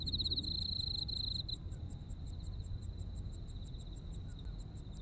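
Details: Insects calling in a Japanese autumn: a buzzy high trill opens then fades, leaving regular sharp pulses about four per second over low background noise.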